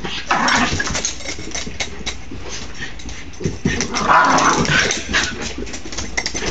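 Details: Dogs wrestling in play: rough, noisy growls and short yelping bursts come in quick irregular succession throughout, with a brief thin whine partway through and steady low background rumble.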